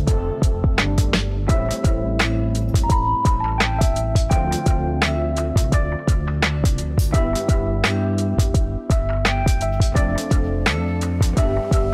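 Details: Gentle instrumental music with plucked and struck notes over a soft beat plays throughout, and no dog or other animal is heard.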